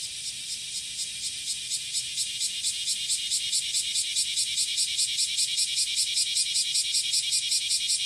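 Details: Cicada singing in courtship on a July morning, 30 July 2017, at Passage de la Duee: a dense, shrill buzzing pulsed steadily about two and a half times a second, continuous throughout with no other clear sounds.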